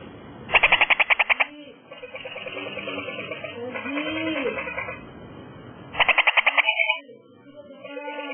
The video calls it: Frog Call (H. leptoglossa)